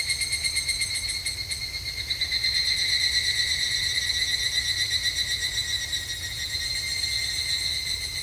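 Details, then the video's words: Evening cicada calling at a temple in Japan in summer: a shrill, rapidly pulsing metallic trill with bright ringing overtones, repeated about three times a second and swelling louder from about two and a half seconds. "日本の夏～お寺とひぐらしの鳴き声Japanese Summer Temple and Evening Cicada"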